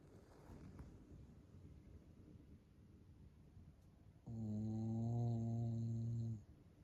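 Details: Sleeping Shiba Inu snoring like a middle-aged man, loud enough to keep someone awake: several seconds of soft, low breathy rumbling, then a loud two-second droning snore, low and buzzy with steady stacked overtones, that stops abruptly.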